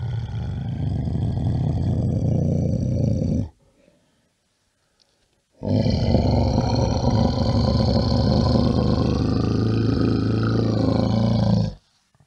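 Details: Bear roaring in two long, low, throaty bouts, the first about three and a half seconds and the second around six seconds, separated by a brief silence.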